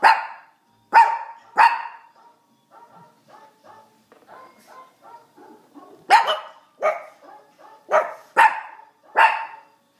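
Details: Brussels Griffon dogs in a howling recital, called tone deaf but trying; sharp yelping barks alternate with softer wavering howled notes, a burst of barks returning near the end.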